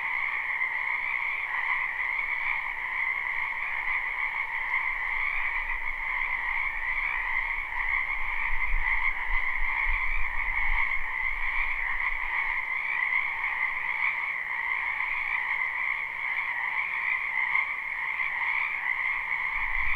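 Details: A dense spring chorus of many frogs in a wetland behind a house, recorded live at night without looping: continuous overlapping croaks in two steady bands, a brief low rumble around the middle.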